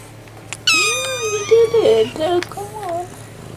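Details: Barn kittens four and a half weeks old, kept with their mother in a farm shed, give a bright rising-falling meow followed by shorter wavering mews, with faint background noise.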